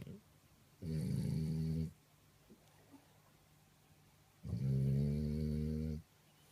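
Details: French Bulldog fast asleep, snoring very loud indoors: two long, low rumbling snores about a second each, separated by roughly two and a half seconds of quiet breathing, with a steady low hum in the background.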